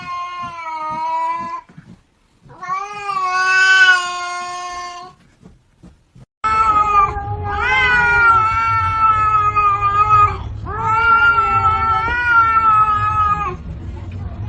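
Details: Unhappy domestic cat complaining loudly indoors: a series of drawn-out, nasal yowls, each lasting two to three seconds, some rising and falling in pitch, separated by brief silences, with a low background hum in the later part.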